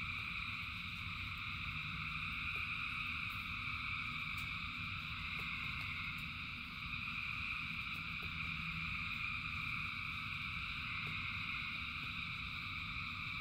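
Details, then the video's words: Thousands of frogs singing in rain: a dense, unbroken chorus of steady high trilling layered in several bands, with soft low rumble and scattered drip-like ticks beneath. "Frogs in Rain 2 Hours of Frogs, Thousands of Frogs Singing"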